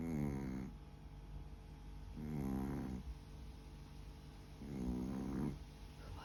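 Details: Snoring from a sleeping Chihuahua: three rasping, buzzy breaths spaced roughly two and a half seconds apart, the last one rougher and more broken, with a constant low hum underneath.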